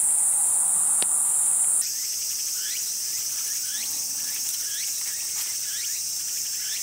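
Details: Kayakiri katydid, a large insect whose males sing with forewing sound organs, calling on a midsummer night in grassland: a loud, continuous, very high buzzing drone, preceded by a brief sharper, harsher burst.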